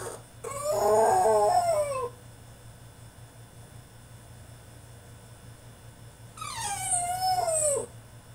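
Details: French Bulldog throwing a tantrum in his cage: two drawn-out whining howls, the first wavering and falling, the second sliding downward, separated by a long quiet gap with a steady low hum.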